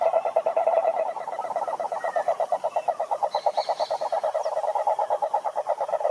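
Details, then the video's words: Toad croaking, which males use to attract females: a steady, fast pulsed trill of mid-pitched notes that runs without a break, with faint higher chirps in the background. "Som do Sapo Coaxando"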